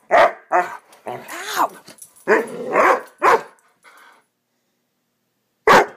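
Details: Young Swiss Mountain Dog Bower during a frantic "bad dog run" as a pup, giving sharp barks that run into a drawn-out, wavering growl-whine, then a quiet spell and one last loud bark.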